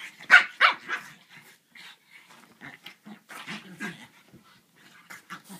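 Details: French Bulldog at play with a griffon, opening with two quick loud barks, then a run of lower, rough growling grumbles and short yips.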